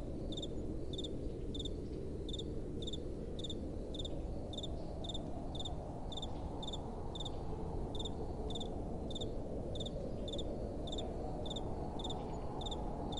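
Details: Crickets at night, chirping in short, evenly spaced high pulses about twice a second, steady throughout, over a constant low rush of soft wind.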